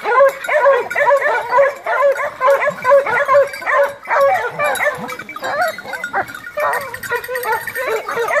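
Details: A pack of Maremma Hounds gives tonal, yelping bays overlapping in a near-continuous, excited chorus: the hunting cry while pursuing wild boar on a November 2017 drive hunt near Poggio San Lorenzo, Rieti, Italy.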